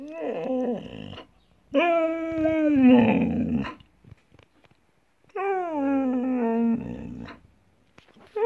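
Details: Siberian Husky giving drawn-out, tonal, talking-style vocalizations: a short wavering moan, then a long sustained one that drops and turns rough at the end, then a third falling moan after a pause.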